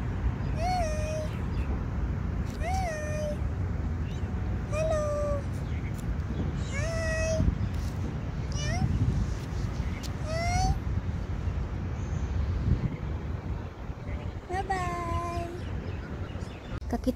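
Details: Street cats filmed in January 2024 giving clear, tonal meows, each slightly falling or bending, repeated about every two seconds over a steady low rumble, with people's voices in the background.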